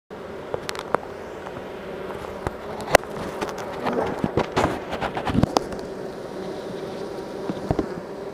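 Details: Honey bees being moved from a nuc into a hive: a low, steady buzzing hum runs throughout, broken by frequent sharp clicks, knocks and scrapes from handling the equipment.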